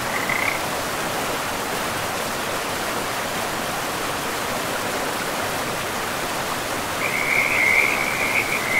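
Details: Frog calling by a river in a pristine, moss-covered forest: a brief rattling trill at the start, then a longer, louder trilled croak over the final two seconds, above constant flowing water.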